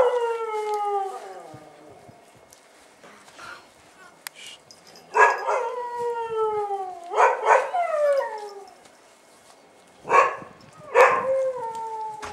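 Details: Bull Terrier puppies on their first outing, 18 January 2015: high whining yelps with falling tails, several squealing bursts near the middle and end, quiet gaps between.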